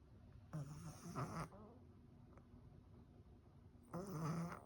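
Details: Cat suffering from cat flu, nose blocked, breathing like a snore; two harsh, snuffling breaths about three seconds apart, each a low rattling rasp with a noisy upper hiss.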